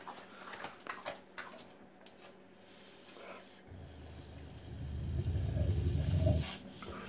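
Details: Indoor pet dog fixated on his food bowl, which he carries everywhere: quiet background clatter, then a low, throaty rumbling growl builds over the last three seconds and stops abruptly.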